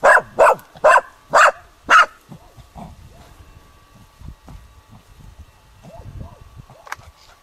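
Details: Dog giving a dead roe deer buck spontaneous bark marking on 21 July 2011: five rapid, forceful barks about half a second apart, then quiet panting and small rustling sounds.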